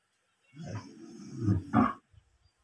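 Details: A cow gives one drawn-out, low moo that swells to a louder, rougher finish.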